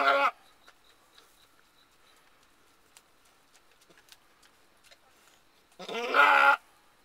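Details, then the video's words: Alpine/Nubian cross doe goat bleating while giving birth to her first kid of the year, May 14, 2010: a short harsh bleat at the start, quiet with faint clicks and rustles, then a longer wavering bleat near the end. "Alpine/Nubian goat giving birth"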